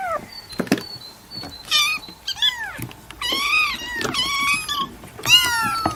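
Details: Domestic cat giving scattered meows of varying length, some short and rising, others drawn out and wavering, separated by clicks and a faint steady tone in a quiet room.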